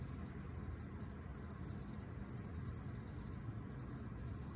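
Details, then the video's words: A wild-caught male Teleogryllus field cricket, possibly T. occipitalis, chirps inside an earthenware jar, trilling steadily in clear, high-pitched pulsed bursts with brief pauses over a low rumble. "油葫芦在陶罐里鸣叫 Field Cricket (Teleogryllus) chirping in jar"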